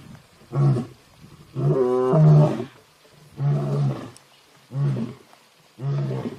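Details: A lion coming close, about 5 metres away, gives deep, rumbling roars in a series of separate bursts.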